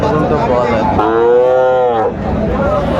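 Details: Sahiwal bull calf at the Aftabganj cattle market, Dinajpur, Bangladesh, 1 July: one clear, steady, harmonic moo of about a second, level then slightly falling, amid market voices bargaining over prices.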